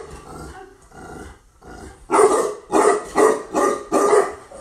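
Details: Female Tibetan Mastiff, newly imported from Russia, barking: quieter muffled sounds at first, then five loud deep barks about every half second.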